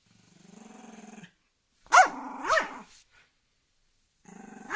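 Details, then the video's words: Angry dog giving a low pulsed growl, breaking into two sharp snarling barks near the middle, then resuming the steady rumbling growl at the end. "Angry dog growling"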